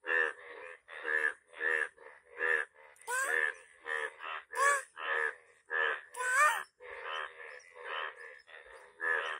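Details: A yellow frog gives rapid, rasping croaks about twice a second, with a few rising whistled notes between them.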